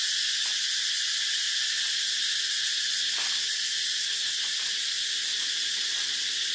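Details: A steady wall of high-pitched cicada buzzing, sizzling and constant from start to finish, with faint clicks in the background.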